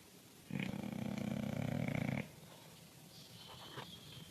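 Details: Bulldog snoring: one long, deep, rattling snore with a buzzy low rumble lasting nearly two seconds, then a quiet room with faint higher tones near the end.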